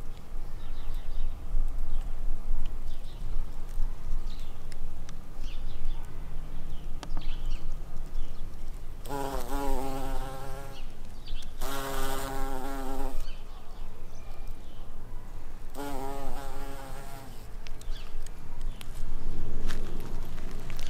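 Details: Buff-tailed bumblebee queens foraging for nectar and pollen in spring; three loud, low, droning buzzes, each about one and a half seconds long, rise and fall as a bee passes close, over steady outdoor background hum.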